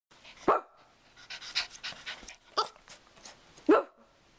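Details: Pet dog named Scotty trading barks with a person: sharp loud barks near the start and end, with softer, breathier barking exchanges and short bursts in between, indoors with no other noise.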